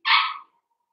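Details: A Blenheim Cavalier King Charles Spaniel puppy from a five-pup New Year's litter gives a single bright, high yelp that fades quickly in a quiet room.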